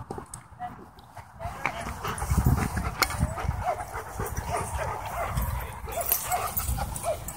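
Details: German Shepherd at a dog park, pinned by a pitbull mix and crying for help: a run of short, high, whimpering yelps, each bending up then down, repeated roughly twice a second over low rumbling wind-like noise and human voices.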